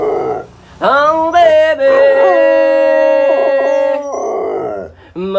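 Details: A singing dog, checked four years after its training stopped, joins its owner: a rising yelp leads into a long, level, clear howl held nearly three seconds with a brief wobble, ending abruptly.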